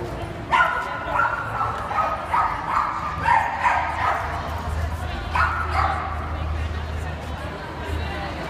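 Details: Belgian Malinois named Wolf, a breeding stud, out on a Sunday family walk; a series of sharp barks roughly every half second to second, with people talking throughout.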